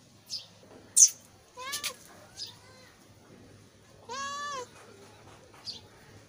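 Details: Kitten meowing, used to attract cats: a short, high, falling meow early on, then a longer, rich, arched meow with a gently curved pitch a few seconds later, with sharp clicks and a low steady hum behind.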